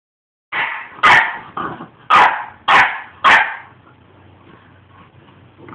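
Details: Almost five-month-old puppy weighing 37 pounds, upset and speaking his mind: four loud, sharp barks about half a second apart, then softer grumbling; a man's voice follows.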